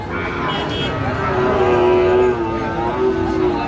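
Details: At a cattle market in Shariatpur, Bangladesh, on 16 June 2025, a Sahiwal bull calf gives a long, level, tonal lowing that holds for nearly two seconds and then trails into a second shorter moo, with men talking nearby.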